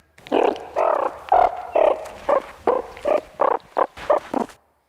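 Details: Close calls of ten different meerkats, the most frequent call given while the group forages, varying between individuals in pitch and length: a run of short, nasal, grunting notes of differing duration, about two per second.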